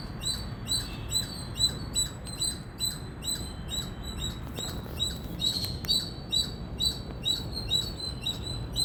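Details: An Indian squirrel chirps loudly and persistently, roughly twenty shrill, clipped notes in nine seconds, with a few faint clicks in the background and steady low noise.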